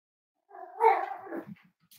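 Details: A single wavering whine, rising then easing off over about a second, from the five-week-old Cavalier King Charles Spaniel puppies of Myra and Remy, indoors at the kennel.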